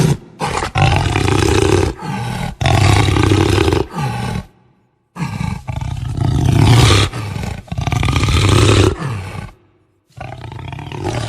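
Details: Jaguar delivering strong, rough roars in quick succession, deep grunting bursts about a second long, with two near-silent pauses splitting the series into three runs.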